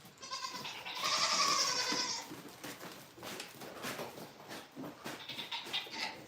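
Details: Farm goats calling at morning feeding time: one long, strained, quavering bleat with a raspy edge in the first two seconds, followed by fainter shorter bleats and scuffling.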